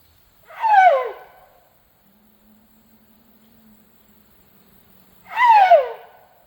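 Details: Sido Ham, a tuskless male Asian elephant, calling loudly to beg for food: two high squealing cries, each sliding steeply downward, about five seconds apart, with a faint low steady hum between them.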